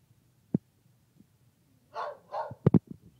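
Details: Trilby, a female dog at work, gives two quick, rough barks in close succession, followed by a few sharp knocks and taps in a quiet room.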